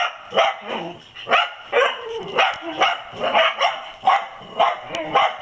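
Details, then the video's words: Dachshunds on a possum found raiding olives, barking rapidly and evenly, about two barks a second throughout, with some whiny tone mixed in. "Dachshunds Find Olive Raiding Possum"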